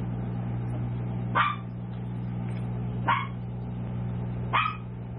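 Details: Tiny toy poodle pups at seven weeks give three bright, brief yaps roughly every one and a half seconds, a steady low hum running underneath.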